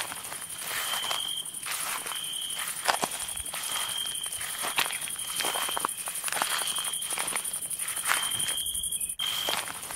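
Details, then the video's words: Crickets at night in the woods, heard while walking among them: a steady high shrill hum with clear ringing trills in bursts about a second long, mixed with crunching footsteps throughout. "Walking at night among the CRICKETS"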